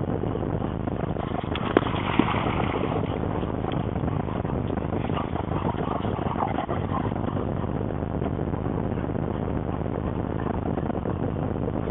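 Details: Dull engine and traffic drone at Fountain Lake, muffled by a low-quality camera, with no barking or other animal call.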